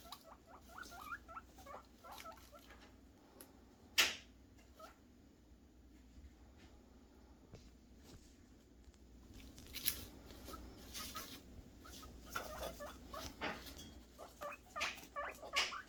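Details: Guinea pig boars squeaking in anticipation of food, short rising whistled squeaks at the start and scattered later, mixed with rustling and clattering noises in a small room.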